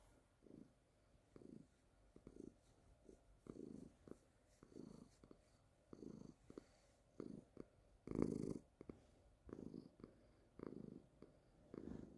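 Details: Baby, a calico cat, purring steadily indoors. Low rumbling bursts pulse at a little under one per second, each swelling and fading, with one louder, rougher burst near the middle and a quiet room behind.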